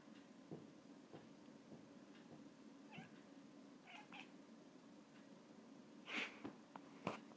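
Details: Russian Blue cat named Gaby, watching a fly and eventually catching it, gives soft short chirp-like calls midway, then a sharper, louder call and a few brief clicks near the end against a quiet background.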